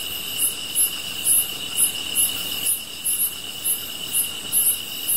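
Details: Grass insects chirp in a steady high trill, with sharp bright pulses repeating roughly three times a second, beside a campfire.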